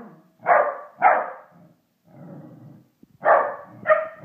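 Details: Pet Pembroke Welsh Corgi barking at a Christmas toy indoors; two sharp barks, a low rough grumble, then two more barks, loud and clipped.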